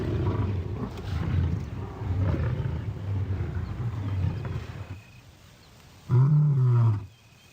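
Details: Lion among a pride on the African plains, where a male tests whether the females are in heat. A brief loud snarling roar about a second long comes after a stretch of rumbling noise and music.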